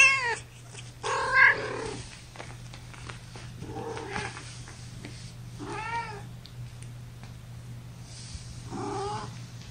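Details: Young kittens of a litter of five, born April 14 to mother Gamora, mewing while held in a lap indoors. High, arched mews come about every one to two seconds over a steady low electrical hum.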